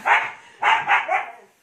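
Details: Siberian Husky named Ice, a pet in the Philippines, very hyper right after a bath: three short, loud, harmonic barking yelps in quick succession, the last two nearly run together, then quiet.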